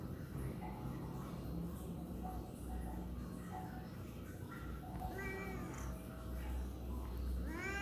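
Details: A tabby cat complains about something in a run of whiny meows, some short and some drawn out.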